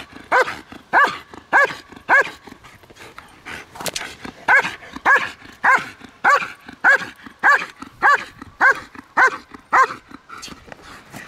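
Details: Steady run of about eighteen loud, clear barks from a trained female German Shepherd at Kraftwerk K9, spaced roughly every 0.6 seconds with a short pause midway; little else is heard.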